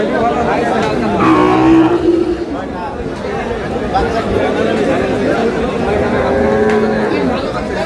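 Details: Lowing from improved-breed dairy cows and calves at Aftabganj market, Dinajpur, 1/8/26; a strong moo early on, then fainter calls buried in dense crowd noise and talk.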